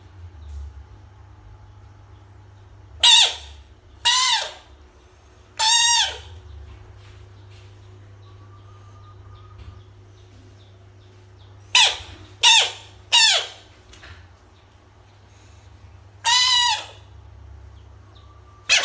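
A frog gives loud, harsh screams in short bursts, separated by quiet pauses.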